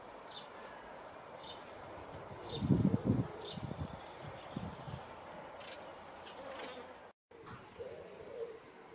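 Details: Pollinating insects visiting ox-eye daisy flowers: a low, droning buzz swells loudly as an insect passes close, pulsing for about a second before fading, while small birds chirp faintly and intermittently in the background.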